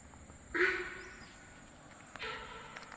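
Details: Monkey calling at night in the dense Topslip forest near Mount Stuart Bungalow, Tamil Nadu, with sounds coming from different directions; two short, harsh, harmonic cries about a second and a half apart over a steady insect hum.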